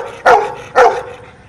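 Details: Dog barking to answer a spoken arithmetic question: two short, sharp barks about half a second apart, then quiet.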